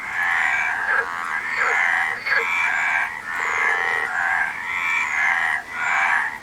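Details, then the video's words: A frog chorus of rough, trilling croaks that swell in long bursts and dip briefly between them. Several overlapping callers keep up a steady, busy rattle. "Frog Sound"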